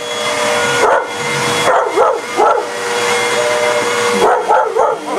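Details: Pet German shepherd and a shepherd/husky mix attacking a running vacuum cleaner: sharp, rising-falling barks in short bursts near the start, middle and end, over a steady mechanical vacuum drone.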